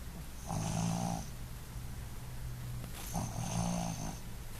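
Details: A female Boston Terrier snores in two rough, rattling breaths, each lasting about a second.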